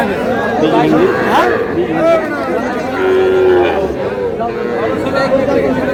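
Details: Low, steady calf moos, one long call in the middle, rise from a crowded Faridpur livestock market on 1 August where small bull and heifer calves are sold, with loud talking and haggling all around.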